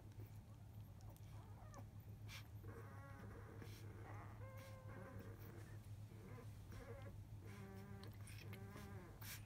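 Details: Fourteen-day-old field-type Labrador Retriever puppies, from a litter of eight born to biscuit, the 2017 JFA Grand Champion, dozing after nursing. Soft, squeaky whimpers come in short quavering bursts, several between three and nine seconds, over a steady low hum.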